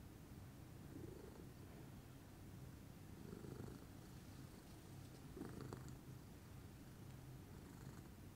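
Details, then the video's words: A relaxed morning purr from Pudding, lilac Scottish Fold: low continuous rumble punctuated by three louder breathy swells about two seconds apart, each brightening briefly before settling back into the steady drone. "calming purr meditation by pudding"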